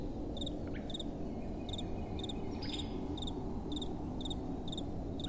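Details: Night-time crickets chirping in short paired pulses, high and clear, about two per second, over a steady low hiss of gentle wind.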